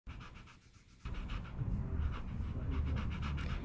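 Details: Rottweiler panting: rapid, breathy, even huffs, about three or four per second, grow louder after the first second and continue steadily to the end.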